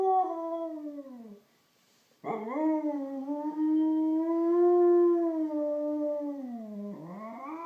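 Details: Siberian Husky howling each time someone sneezes: a long, steady, tonal howl that bends downward, pauses, then resumes with a rising start and a drawn-out sustained tone ending in a falling slide.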